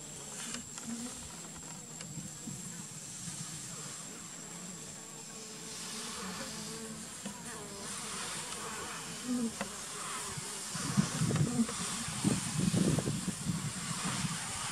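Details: Asian honey bees (Apis cerana) giving an alarm sound that warns of danger before stinging; a low droning buzz runs throughout, with louder, rougher bursts of buzzing toward the end over a faint steady hiss.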